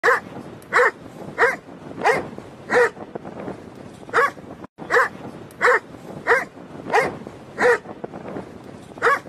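A Doberman barks in steady, forceful bursts, roughly one every second.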